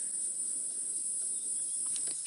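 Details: Cicadas keep up a steady, piercing high-pitched drone that never breaks, with birds calling, at dusk on 27 October 2016 in the Djuma Game Reserve area during a leopard sighting.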